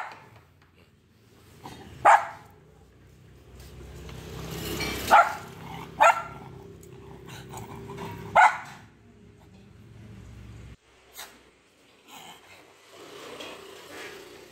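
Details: A toy-breed dog fight between a Pomeranian and a Lhasa apso: four sharp, high barks ring out at irregular intervals over a low, steady hum, followed by a few fainter yips near the end.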